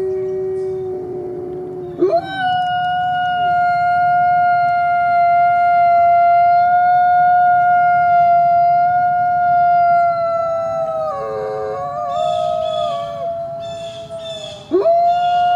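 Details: Coyote howling: a low tone that jumps up near two seconds into a long, steady, harmonic-rich note held for about eight seconds, then wavering and breaking into overlapping voices before rising again at the end.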